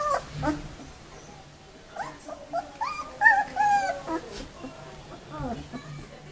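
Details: A litter of 19-day-old White Swiss Shepherd puppies, summer 2014, giving clear tonal whines: drawn-out wavering squeals and short yips overlapping, some bending down at the end, with faint human voices behind.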